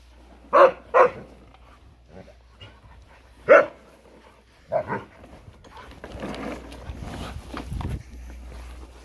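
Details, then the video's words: Husky barking at a lawnmower, a pair of quick barks, then a single bark and fainter ones, before a broad rough mechanical roar takes over near the end. "Husky shouting at lawnmower"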